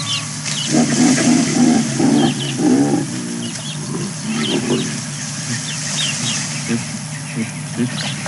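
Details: Chacma baboons squabbling in the morning at Balule Nature Reserve, bordering Kruger National Park, on 04 09 2022: harsh, barking grunts and screeches, with birds calling in the background and lions roaring in the distance.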